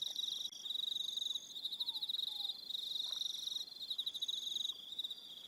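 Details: High-pitched cricket trilling on an evening on Aroha Island, New Zealand: overlapping rapid pulses forming a continuous ringing chorus, some voices stopping and restarting, with two faint low downward slurs around the second second.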